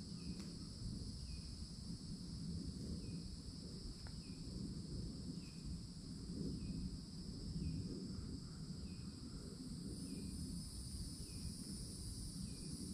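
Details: Florida summertime cicadas singing near towering trees at the forest edge, a continuous piercing drone that gains a higher, brighter layer partway through, with regular short bird chirps and a low noise bed.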